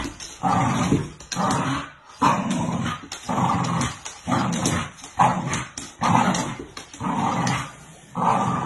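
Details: A Bull Terrier pulling a toy across the floor growls in rough, rumbling bursts, roughly one each second.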